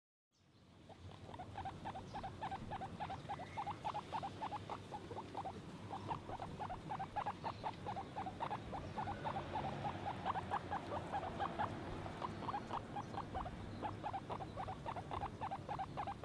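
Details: Guinea pig giving a long run of short pulsed notes, about three to four per second, steady and continuous throughout with no other clear sounds.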